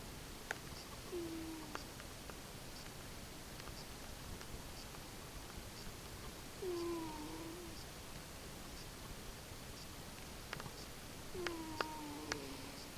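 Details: Domestic cat napping after a Thanksgiving feast, snoring softly: a faint whistled tone slides downward with each breath, about every five seconds, three times over a quiet background hiss.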